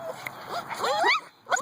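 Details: Two-month-old Husky puppies waking up in the morning, giving a short run of high, sliding whines and yelps that rise and fall, ending with a brief squeak.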